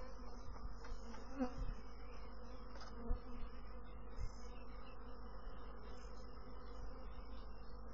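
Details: Buzzing honey bees in a low, droning hum, with brief louder surges of individual bees passing close and a faint high whine above.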